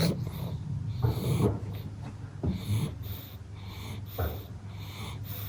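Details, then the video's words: Napping pug after energetic playtime, snoring with low wheezy, snorting breaths, roughly one every second and a half, rasping and throaty, in a quiet indoor room. "SLEEPY PUGS ARE CUTE - pug naps, snores, snorts, tired eyes, dreaming"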